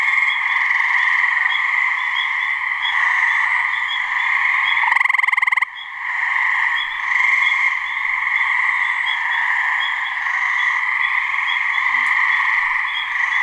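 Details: Gray treefrog mating call from a swamp in New Hampshire, one of a couple of frogs calling: a single short pulsed trill lasting under a second, rising out of a steady, dense background chorus of buzzing and ringing sounds.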